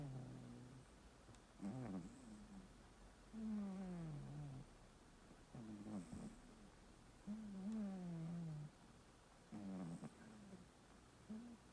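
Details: Domestic cat, male, snoring in its sleep indoors, recorded on a phone: low rasping snores around every four seconds, each a harmonic rumble sliding slightly downward, some with a brief nasal whistle on the in-breath.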